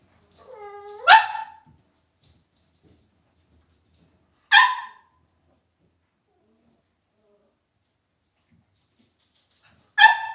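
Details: Indoor home pen of Cavalier King Charles Spaniel puppies: a short rising whine slides straight into a bright yap, followed by two more single barks roughly every four to five seconds against near silence.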